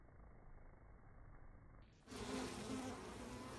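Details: Bees landing and departing in slow motion, the low droning hum swelling halfway through into a louder, fuller buzz with steady tonal bands and a rough, wavering texture.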